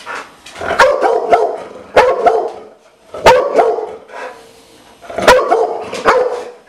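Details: Dogo Argentino barking in four short, rough bursts roughly a second apart, each a quick cluster of harsh, mid-pitched barks with quiet gaps between.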